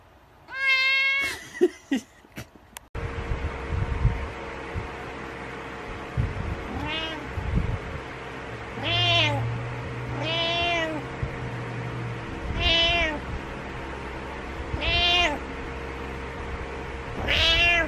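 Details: Cat or kitten meowing: one loud bright meow and a sharp clatter open, then shorter arched meows about every two seconds over a steady indoor hum and low rumble.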